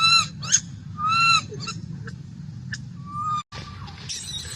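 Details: Young monkey crying and making noise because it wants milk, giving loud drawn-out whistled wails with rich overtones, then shorter squeaky cries and a final scratchy squeal, against low background hum.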